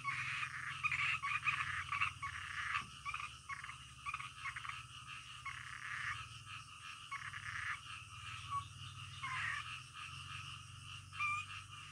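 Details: Frogs at night sounding together in the middle of the night; rapid, choppy croaking notes repeat in stuttering runs, many callers layered over a persistent faint hiss.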